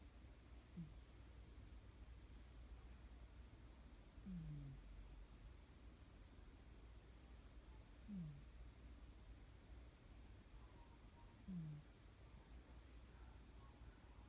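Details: Sleeping cat snoring indoors: soft, low, downward-sliding breaths repeated roughly every three and a half seconds, four in all, quiet against a steady low hum.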